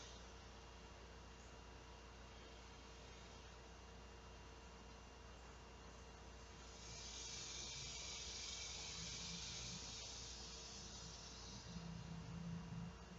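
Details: On a hot August 2016 summer day at 12:10 p.m., large male cicadas call for females to mate. A faint high drone rises into a loud, ear-piercing buzz from about seven to ten seconds, then fades. A low vehicle hum is heard near the end.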